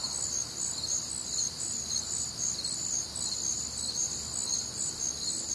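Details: Crickets and other nocturnal insects on a warm, humid Midwestern summer night, a dense high-pitched chorus of steady overlapping pulsed chirps with a shimmering trill layered above, continuous and even in loudness.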